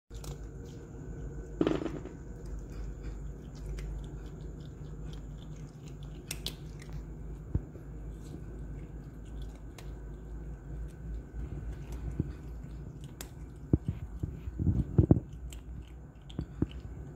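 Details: Hima, a cat, eating together with his mother, a tricolor cat: soft irregular chewing and crunching clicks throughout, with denser bursts of bites toward the end, over a steady low background hum.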